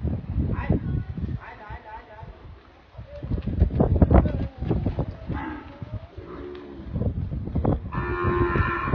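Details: Dairy cow mooing in low, drawn-out calls with a harmonic tone, one near the middle and a louder one at the end, over a steady background of rustling and thumping farmyard noise.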